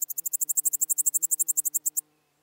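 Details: Pholidoptera littoralis bush-cricket in Seewiesen, Germany, July 2023, giving a two-second run of about twenty-five quick, regular, very high-pitched pulses that gradually slow slightly before stopping abruptly.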